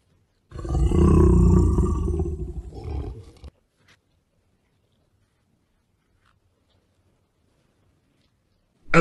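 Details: A Serbian husky gives one deep, drawn-out, rumbling roar lasting about three seconds, then falls silent.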